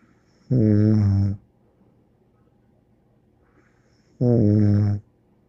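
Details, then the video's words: Two long, low, buzzy snores from Bear the dog, sleeping indoors, roughly four seconds apart, each with a rich stack of rasping overtones and near silence between them. "More angel Bear Snoring"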